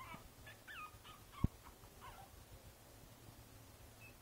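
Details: Five-week-old Boston Terrier puppy Princess Izzy, sitting in a basket on 12/4/2011, utters a quick run of short, soft, high whimpers in the first two seconds, then goes quiet apart from one sharp tap.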